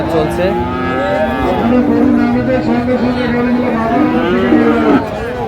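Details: Bull calves of Friesian and cross breeds offered for sale at Raniganj market in Dinajpur, Bangladesh, 24 April 2025: a sustained, wavering low moo lasting over three seconds, overlapped by other animals and a man talking in the busy crowd.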